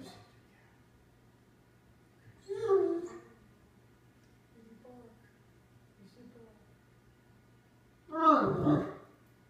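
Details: A female Great Dane gives two drawn-out, groaning 'talking' vocalizations to her cat, who sits in a box, with a person speaking softly between them.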